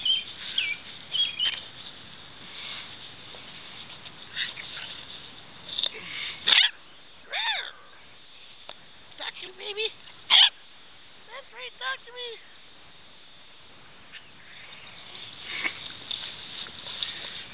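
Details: New family puppy whining in wavering, arched high whimpers, several in quick succession, mixed with brief squeaks and human voices talking nearby.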